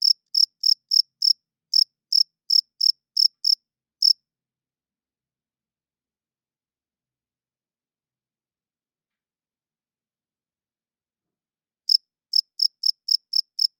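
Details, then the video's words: Crickets chirping loudly at night; males rub their wings together to attract females and establish territory. Bright, high pulsed chirps repeat about three times a second for four seconds, stop for roughly eight seconds of silence, then resume in a quick run. "Cricket Chirping Sounds - Cricket klinkt 's nachts luid"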